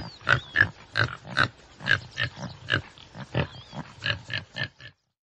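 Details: Common tsessebe uttering repeated gruff, breathy grunts about twice a second, fading out at the end, with soft bird whistles in the background.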